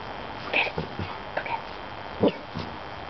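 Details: Rusty, a German Shorthaired Pointer mix, barks at a birthday balloon that floated into the family yard, a standoff lasting 20 minutes before he attacks it. Six short, sharp barks come in uneven bursts over three seconds, over faint background noise.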